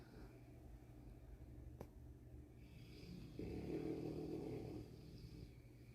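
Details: Titi, a Boerboel born with a larger tongue than the average dog and a heavy snorer, breathes in a low, rough rumbling snore. It grows louder and thicker midway, with a single sharp click near two seconds.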